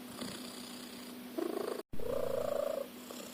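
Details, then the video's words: Snoring house cat, loud as a car engine: two rasping, fluttering breaths, the second longer and brighter, split by a short silent break, all over a constant low background hum. "Cat Snores like a Car Engine."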